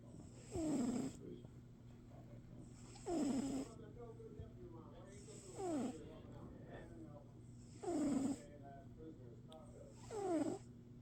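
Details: Domestic cat snoring: five breathy, rasping snores arrive about every two and a half seconds, each a short broad burst with a thin falling whine at its end, separated by quiet pauses over a steady low electrical hum.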